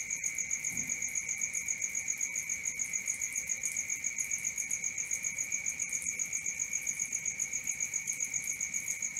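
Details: Crickets at night: a steady, high, pulsing chirp repeating almost four times a second, with a thin second tone lower down, running without a break through the whole stretch.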